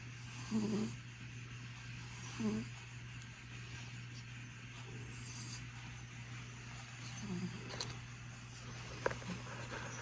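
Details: Sleeping domestic cat snoring: three short, soft, low rumbling snores, two close together about two seconds apart and one later after a pause. A steady electrical hum runs throughout, with faint clicks near the end.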